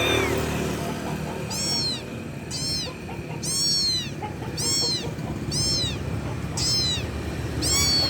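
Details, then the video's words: A kitten calls loudly for its mother, giving shrill arched meows about once a second, seven in a row, steady and insistent, against a soft background rumble. "ANAK KUCING MEMANGGIL INDUKNYA [ suara Keras ]"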